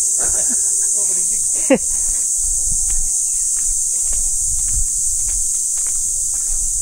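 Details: Insect chorus called kuliglig at MGG Farm campsite, praised as beautiful. A steady, unbroken high-pitched shrill trill fills the background throughout, with a man talking, a few footsteps and a brief thump.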